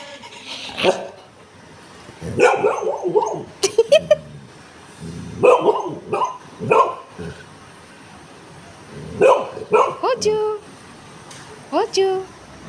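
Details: Female Golden Retriever kept as a pet, barking and yelling in repeated loud bursts separated by short pauses, with some human voices at home between the calls.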